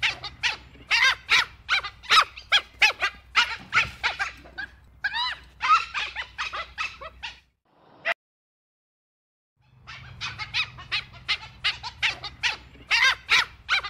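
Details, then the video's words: Dhole yelping and squeaking in rapid, overlapping strings of high, harmonic notes. A pause of nearly two seconds falls mid-sequence, then the chorus of squeals resumes at the same busy pace. "Odgłosy Cyjona rudego. Dźwięki cyjona. Odgłosy jakie wydaje cyjon rudy."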